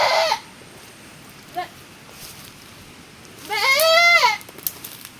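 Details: Goat recently giving birth in the rainy season: a brief bleat at the start, a faint short call mid-clip, then one loud wavering bleat near the end; quiet background otherwise.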